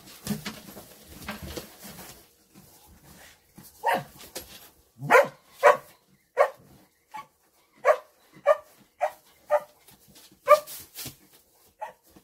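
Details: A female dog in the hay, apparently unsure what she is doing, barks; after some faint rustling and scattered sounds in the first few seconds, sharp barks come in an irregular run, roughly one or two each second.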